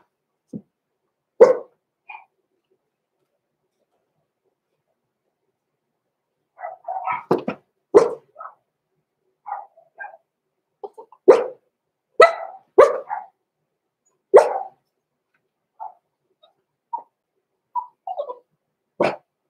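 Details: Roman and Blue, six-week-old blenheim Cavalier King Charles Spaniel puppies in a home pen. Irregular bouts of sharp little barks mixed with squeaky yips and whines, with quiet pauses between flurries, over about twenty seconds.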